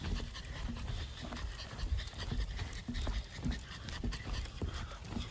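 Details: Senior mixed-breed dog, thrilled while exploring an autumn reed field, gives rapid rhythmic panting, roughly two huffs per second, over a constant low wind rumble and light rustling.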